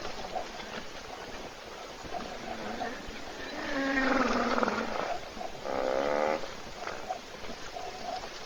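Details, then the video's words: A hippo snores while sleeping in a puddle at an African waterhole webcam, thirsty animals waiting nearby. Two rasping, harmonic snores rise in the middle, with faint background hiss around them. "Бегемот Hippo храпит в луже"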